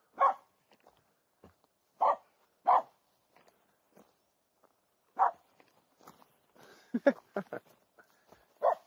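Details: Finnish Spitz barking at a squirrel hidden in a local forest in mid August, overgrown summer woods; loud short barks in a loose series with gaps, a quick cluster of sharper barks near the end, a person talking quietly between them.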